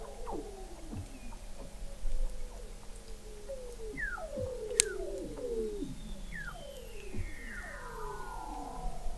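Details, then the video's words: Weddell seals under the sea ice of McMurdo Sound, Antarctica, November 2017: many overlapping descending chirps and glides in the low-to-middle range, with one sharp click and a faint high sweep near the end. "Song of the Antarctic Weddell Seal"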